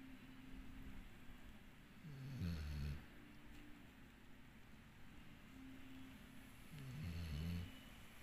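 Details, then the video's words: A pet dog named Dixie snores steadily. Two rough, rumbling snores, each under a second, come about five seconds apart, with a faint breathy rasp on the inhale and a soft room hum. "Snoring Dixie"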